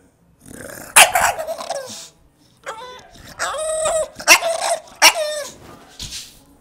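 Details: Pet English Bulldog, male, crying because he wants attention: a series of loud harmonic whines and yelping cries, each about half a second to a second long, some bending upward then sliding down, with breathy gaps between.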